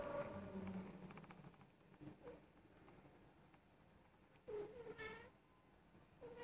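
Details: Indoors, a female Persian cat of almost one year, in heat, gives low, wailing meows. Several calls are spaced out over a few seconds, one rising and falling in pitch, over faint background hiss.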